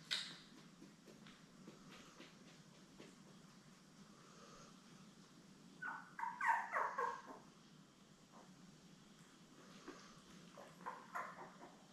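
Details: Seven Labrador Retriever puppies born May 24, 2021, beside their mother Belle, on a live stream June 3. A quiet stretch breaks into a cluster of squeaky, whining cries midway, then a second shorter burst of whimpers near the end.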